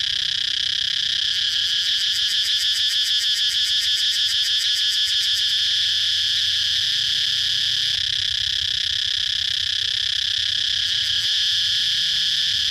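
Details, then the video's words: Cicada giving a loud, steady, shrill buzz that fills the whole clip without a break. From about one to six seconds a fast pulsing flutter rides on top, then the tone turns smooth again. "cicada chirping sound"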